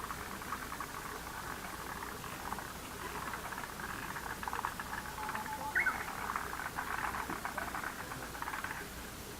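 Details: Frog chorus in a lotus pond: a dense, continuous mass of rapid crackling clicks and trills layered together, steady throughout with no pauses.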